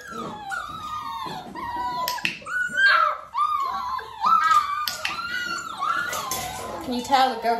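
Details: Nearly six-week-old Dalmatian puppies in clicker training while mother Arya spends time with them; drawn-out, bending whimpers and rising squeals overlap from several pups, some long descending cries, with faint background noise indoors.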